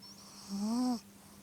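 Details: Korota, a pet dog, snores while deeply asleep in the middle of the night: one slow, tonal, nasal snore with a rising hum lasting about half a second, over a steady low room hum.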